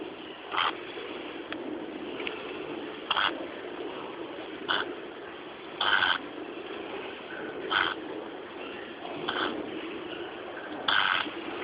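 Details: A sleeping piglet snores: rasping, breathy bursts come about every one and a half to two seconds over a steady background hiss.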